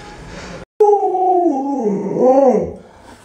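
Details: Alaskan Malamute Luoluo at home, around feeding time with meat on offer, howls in a wavering, bending tone that dips and rises before ending, over low room noise.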